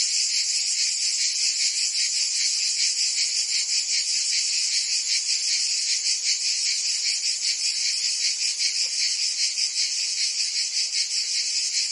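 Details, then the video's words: Summer in Provence, France, filled with singing cicadas, an intense shrill, buzzy drone that never stops, gently pulsing several times a second, with no birds or voices. "Cicadas singing in France (Provence)"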